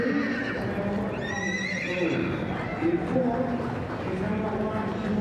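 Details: Barren mare or gelding Welsh Cobs, eight years and older. A single high whinny starts just after one second and wavers down over about a second, with overtones stacked above. Hoofbeats and constant human voices continue under and after it.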